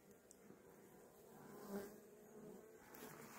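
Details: Caught swarm of honey bees receiving a young queen, a constant low droning hum with slight swells, while a man speaks over it.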